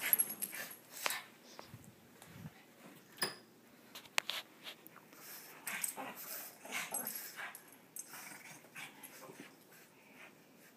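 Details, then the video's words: A pair of Shih Tzu playing together, one wanting to be chased: scattered breathy huffs and brief growly snorts, spaced unevenly over the stretch, with light scuffling. "Two Shih Tzu playing"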